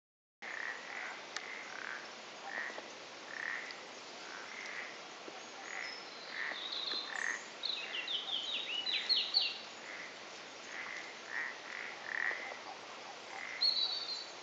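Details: Common toads in a trio during amplexus in a pond, the Bassa Gran d'en Bas, recorded 7 March 2013; soft short croaks repeat in bursts about every half second, with some higher chirping sounds in the background.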